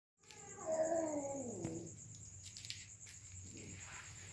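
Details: Domestic cats mating: one drawn-out harmonic yowl that starts high, then slides downward and fades after about a second and a half, with a steady high insect trill running throughout.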